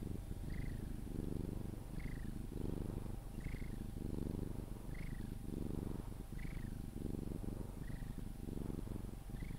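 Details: A Sphynx cat being cuddled purrs steadily until falling asleep, a low rumbling throb that swells and fades with each breath.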